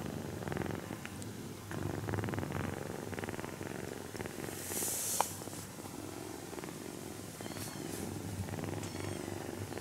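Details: Purring from a napping kitten, Shiro-ko, being petted; a deep vibrating rumble swells and fades with her breathing, broken by a short sharp burst of handling noise midway and soft rustles near the end.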